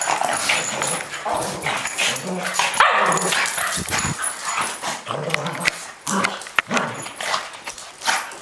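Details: A Boston Terrier and a Cavalier King Charles Spaniel play fighting: low rough growls mixed with snorts, scuffling, and broadband thumps of bodies moving, with one brief higher yelp near the middle.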